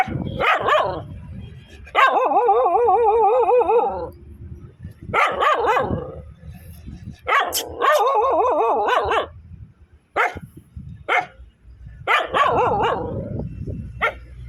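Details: Dogs barking angrily and loudly with growls: drawn-out, quavering tonal barks lasting up to two seconds, alternating with quick clipped yaps at an uneven pace, about five bursts in fourteen seconds.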